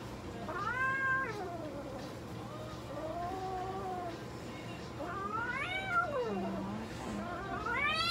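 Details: Minuet cat at a veterinary clinic in Nagoya, Japan, meowing while having blood drawn; repeated arched, harmonic meows and drawn-out wails, some rising at the end, over steady clinic hum.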